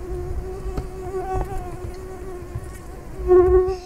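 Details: In a yard on a hot August day late in the day, a mosquito's thin, steady whine hums on without a break, swelling louder near the end as it comes close.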